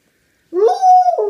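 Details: Miakoda, a pet dog indoors, tattling on fellow dog Mogwai for tearing open her new stuffed toy: a single loud, drawn-out whining howl that rises, holds steady and then dips, with rich harmonics and no background sound.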